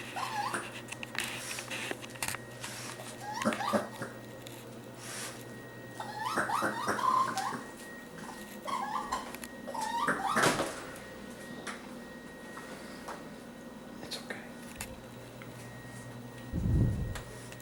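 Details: A young raccoon, lost in a kitchen in early July, gives high, wavering whimpers and chittering squeals in short, irregular bursts while a person soothes it.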